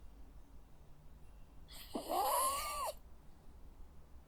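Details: A sleeping Jack Russell Terrier gives a single squeaky, wheezing snore lasting about a second.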